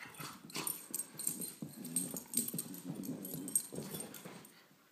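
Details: Play between two dogs, a 17-month-old Beagle mix and a 10-month-old Great Pyrenees: continuous low, rumbling growls and grumbles with rapid, irregular pulses, mixed with panting and the scuffle of bodies moving.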